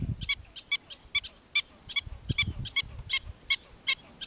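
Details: Wild black-footed ferret kits exploring their Montana prairie home as darkness falls; a series of sharp, harmonic chattering bursts repeats about two or three times per second, with soft low rumbles beneath and faint insect ticking in the background.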